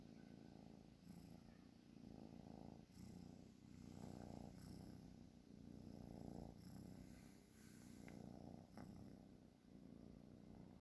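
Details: Continuous rumbling snore of a cat asleep, finely pulsed and low-pitched, waxing and waning with slow breaths, plus a couple of small clicks.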